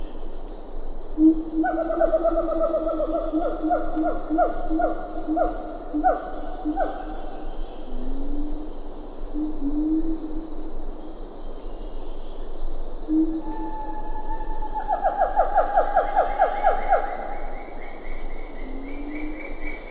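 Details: Wild siamang calls in Ketambe Forest, with a few lar gibbons in the background: a low booming note, then rising whoops and rapid repeated hooting barks stacked in bands, the calling swelling again toward the end over steady high insect drone.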